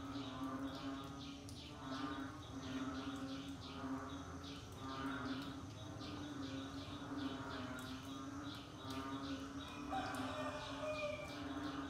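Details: A busy rainy-season frog chorus: repeated short pulsed calls in steady runs, a persistent low humming tone beneath, and scattered overlapping voices.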